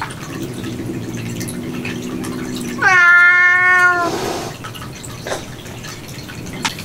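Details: Indoor domestic cat in a cat room, filmed while a cat came back repeatedly to kitten food over ninety minutes. A single strong, drawn-out meow follows a low steady hum, then faint taps and dripping.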